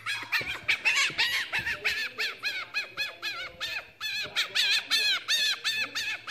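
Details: Pet fennec fox named Lucy making a happy, laugh-like sound during belly scratches: a fast series of high, arched squeaks, nearly three per second, each with a bent whistled tone, continuous with a short dip midway.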